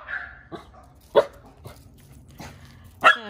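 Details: A Shetland sheepdog gives sharp, sudden barks at uneven intervals, reacting to a noise from the neighbours' property that he dislikes.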